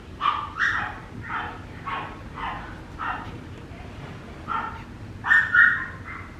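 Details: Papillon puppy giving short, high yapping barks in an uneven series, roughly ten in six seconds, with a louder doubled yip near the end over a faint steady background hiss.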